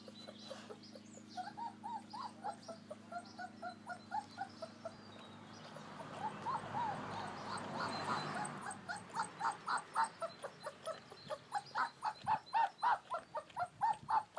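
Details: Young American Akita puppies playing in their outdoor garden area; rapid repeated whining yelps, a brief noisy rush around the middle, then a steady series of sharp pulsed yips to the end, low hum beneath.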